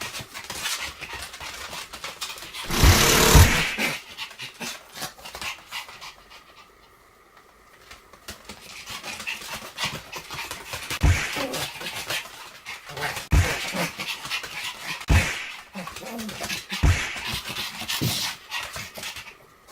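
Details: Pomeranian in a full-effort 'kung fu' play fight: bursts of quick rough panting and low growly huffs with irregular thumps and scuffling, a loud rustling burst near the start, then quieter breathing.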